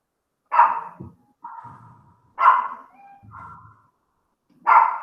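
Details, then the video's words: Domestic dog barking in the background during an online religion class, interrupting the teacher; three loud, sharp barks about two seconds apart, with a woman's and a child's voices speaking between them. "Putz, espera aí, o cachorro tá latindo."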